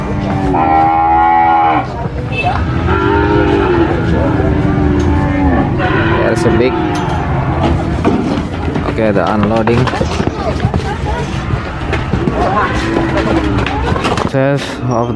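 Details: Cows being unloaded at an animal market, many loud overlapping moos of varied pitch following one another almost without pause, over constant chatter, engine rumble and clatter.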